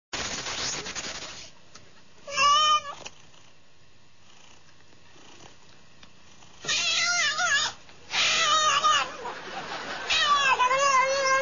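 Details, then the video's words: A domestic cat, described as talking, gives several loud, drawn-out meows with wavering harmonic tones, some bending up and down, separated by quiet pauses, with faint room noise between calls. "Talking Cat"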